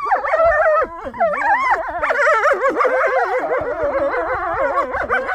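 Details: Captive wolves at Polar Park, Norway, in a loud group howl: many overlapping wavering voices slide up and down steadily, forming a dense continuous chorus with no pauses.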